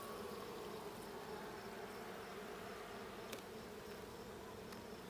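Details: Honey bee colony in the blue hive on 20 June 2022, heard during a hive check as a constant mid-pitched buzz with a couple of brief sharp clicks.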